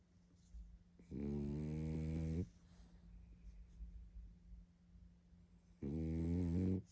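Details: Barney the pug, sleeping and tired, gives two drawn-out, deep, vibrating snores over a second long each, about four seconds apart, with a faint steady hum in the quiet indoor background.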